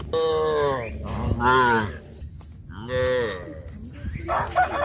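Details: Cows being led to the pen by a farmer in the evening moo in long, drawn-out calls that rise and fall in pitch.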